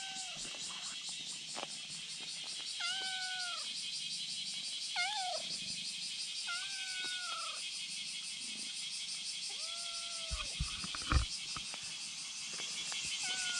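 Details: Kitten on a bridge calling a black cat to come over, one of two kittens there: a series of about six short, bent meows every couple of seconds, against a loud pulsing high buzz and a faint thump.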